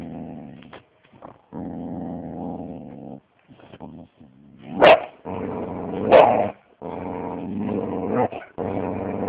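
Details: Angry six-and-a-half-month-old Siberian Husky growling: long, low rumbling growls in sustained bursts, broken by two sharp louder yelping barks near the middle, with short silent gaps between bouts.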